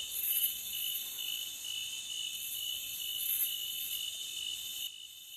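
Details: Forest crickets give a constant high ringing trill with faint wavering pulses. It cuts abruptly near the end, leaving a softer hiss.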